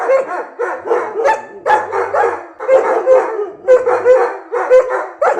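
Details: German Shepherd dog producing rapid, rough yappy barks in dense clusters with short tonal whines mixed in, the bursts coming roughly once a second.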